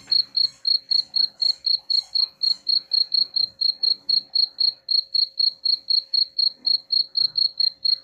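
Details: Steady cricket chirping used as a rat repellent, high clear pulses repeating about four times per second throughout, with a faint constant background hum and soft low rustles.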